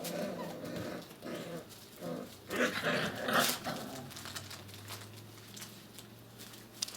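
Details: Six-week-old puppies at rough play, one pup acting the bully with tail wagging; short gruff growls and scuffling bursts come in uneven clusters, with a low steady hum underneath.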